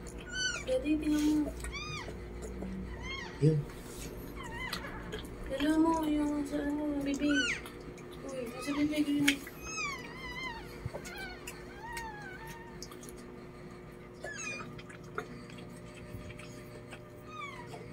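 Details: Newborn Lhasa Apso puppies crying indoors as their mother Chloe gives birth: thin, high, arching squeaks that come in quick bursts, thickest in the first half, while people talk quietly in Filipino close by.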